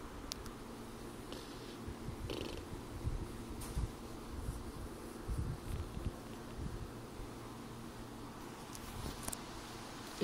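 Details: Domestic cat being gently pestered while sleeping, purring: a soft, continuous low rumble throughout, with light rustling and handling noises and occasional quiet clicks.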